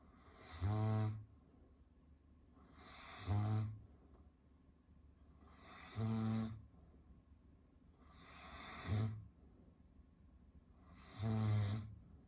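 A Caucasian Shepherd Dog snores deeply, each low rattling breath coming roughly every two and a half seconds.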